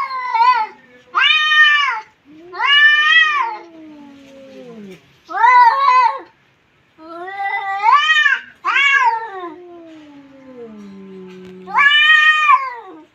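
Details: Two domestic cats in a vocal standoff: long, loud, wailing yowls that swell and fade, each lasting one to two seconds, overlapping with lower, drawn-out moaning tones that slide downward, in a quiet room.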